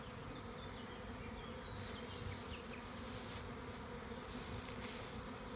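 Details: Honey bee swarm in a tree in Tuscany's Maremma, Italy, during spring, as a beekeeper catches it: thick continuous buzzing hum, slightly swelling midway, with a few faint distant bird notes above.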